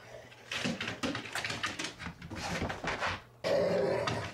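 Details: Two Rhodesian Ridgebacks, Zahara and Weya, playing rough indoors in the morning: bursts of scuffling and snorting growls in rapid clusters, a brief pause, then a louder rush of growly noise.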